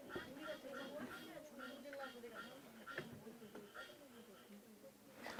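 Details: A Suwon treefrog, an endangered species of Korea's west-coast plains with about 2,500 singing males, gives quick nasal notes, about three a second, in a steady rattling series. Its song is distinguishable from the treefrog's spring song.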